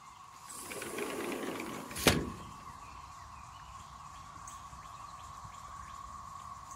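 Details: Periodical cicadas of the 13-year and 17-year broods emerging in the Triangle area of North Carolina: a steady, even drone runs throughout, broken early by a sharp clack and a brief rushing noise.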